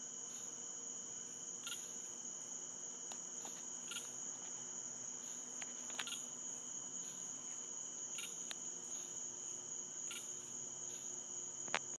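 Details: Unknown animal chirping at night in central Florida woodland, heard every night from different spots: a long series of short bright chirps roughly every second, scattered sharp clicks, and an unbroken shrill insect-like hum beneath.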